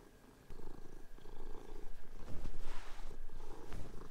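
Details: Domestic cats indoors on a bed, playing and fighting with each other while the sheets are changed; a low, steady rumbling purr with rapid pulses starts after half a second and swells louder, over soft rustling of bedding.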